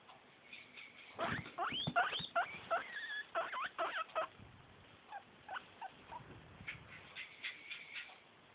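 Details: Guinea pig asking for snacks, giving a busy run of high squeaks and wheeks with rising and falling tones, loudest early on, then softer repeated chirps toward the end.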